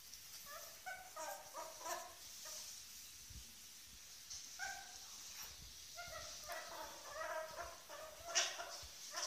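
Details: Two ferret kits about eight weeks old play on their first evening in a new home. They give short, squeaky, harmonic chirps in quick bursts, with pauses between clusters and a faint hiss in the background.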